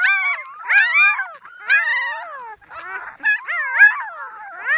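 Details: Howling puppies of Annie give bursts of arched, wavering cries roughly once a second, irregular in timing, with a short scrappy whimpering gap midway.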